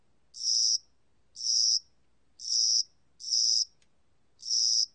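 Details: Spring-and-summer cricket recorded by the National Institute of Biological Resources in 2020, giving five shrill, trilled chirps spaced roughly a second apart against near silence.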